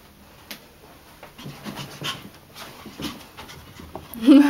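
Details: Brutus, an energetic Chihuahua playing a chasing game at night, gives quiet rhythmic breathy pants that build toward the end, where a brief vocal sound rises above them, indoors in a small room.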